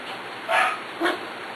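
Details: Two brief puppy barks about half a second apart, from six-week-old puppies romping with an older littermate girl, over a steady low room hiss.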